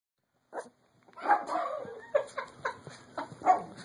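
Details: Max, a five-month-old light platinum silver micro teacup poodle puppy, a pet indoors, gives a run of short, sharp, high yips and barks, a few per second, after a brief first yelp and a pause.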